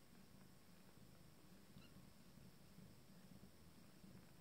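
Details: Cat family at mealtime with a first litter of 14-day-old kittens; a low, steady rumbling purr pulses evenly throughout, with a faint high squeak near the middle.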